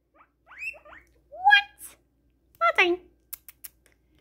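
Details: An excited pet guinea pig gives a run of loud, shrill, rising squeaks, ending with a few soft clicks.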